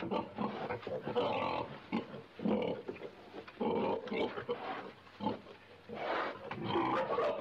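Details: A pig gives a string of hoarse, nasal grunts and short squeals, each lasting under a second, with brief gaps between them, loud and close throughout.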